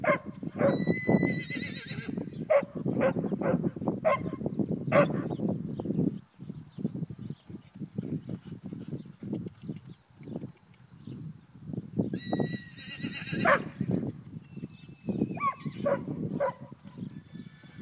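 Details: A ten-month-old half-Spanish, half-Thoroughbred foal in its first lunging session whinnies loudly at the start and again about twelve seconds later. Both are shrill, quavering neighs over continuous trotting hoofbeats.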